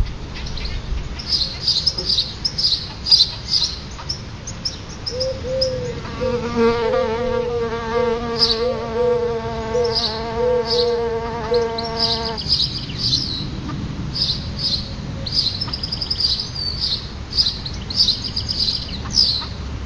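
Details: Buzzing of solitary bees near their nest outside a front door, a low humming drone rising in for about seven seconds mid-recording, set against constant high twittering birdsong and soft background rumble.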